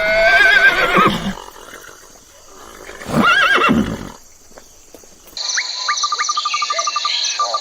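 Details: Horse on a farm neighing: a loud, quavering whinny with wavering harmonics for about a second, a second shorter wavering neigh after a pause, then a switch to steady high electronic-sounding tones with rapid chirping pulses.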